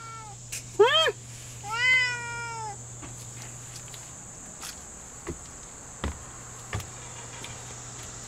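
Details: Lynx Point Siamese cat talking back with two clear meows near the start, the first short and rising-falling, the second longer and drawn out, followed by quiet room noise with a few soft knocks and a steady high electrical whine.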